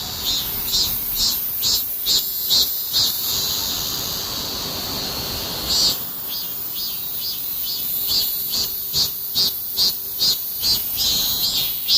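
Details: Heatwave cicadas calling in shrill, evenly pulsed bursts around two per second, pausing midway under a hissing drone before the throbbing rhythm resumes.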